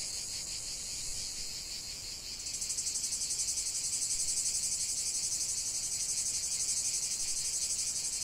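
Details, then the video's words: Cicada song in nature: a steady high buzz that, after about two seconds, gains a rapid rhythmic pulsing and grows louder, continuing as a throbbing drone. "45 min de chant des cigales"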